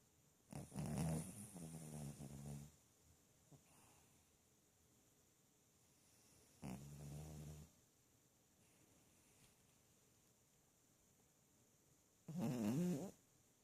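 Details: Maltese dog named Snowy, about six years old, sleeping soundly with eyes open and snoring: three rough, low, buzzing snore bursts of one to two seconds each, separated by long quiet pauses, indoors.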